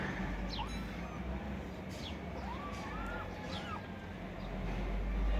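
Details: Kittens fighting for food give a short run of three or four arched, rising-then-falling meows in the middle of the stretch, over a steady low rumble and faint background noise.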